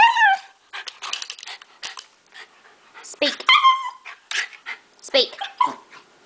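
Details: Pet dog vocalizing indoors when told to "speak": short, strained, yowling barks with rising and falling pitch, interleaved with a person's repeated commands and praise.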